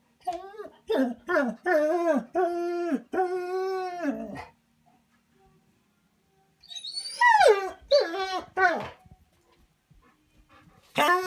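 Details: Left indoors at a cabin as Tim heads out for a walk, Bernese Mountain Dog Manda complains with a run of yodelling 'woo-woo' whines, drawn-out and bending in pitch, then a silence and a falling, squeakier volley.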